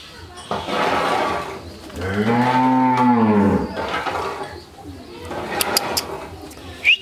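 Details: Friesian heifer calf, one of a pair aged fourteen months on a farm in Pabna, Bangladesh, gives a single deep, drawn-out moo lasting about a second and a half, rising then falling, amid quiet indoor room sounds.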